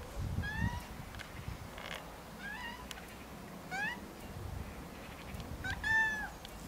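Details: Rags, a cat left alone in the garden while Snow White goes for a walk, cries with a series of about five drawn-out, rising-and-falling meows spaced a second or so apart, over low outdoor rumble.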